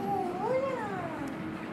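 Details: Pet fox greeting its owner just home from work, happy the owner is back: one drawn-out, harmonic whine that rises then slowly falls over about two seconds.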